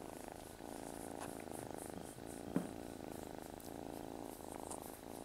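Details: Male domestic cat purring close and steadily indoors, praised for having a good motor; a low, rumbling, continuous purr with soft rhythmic pulses from breathing and one brief click midway.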